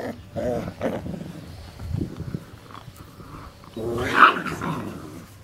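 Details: Cane Corso puppies, 40 days old, playing in a yard; low rough growls and grumbles in short bursts, a louder snarling burst near the end.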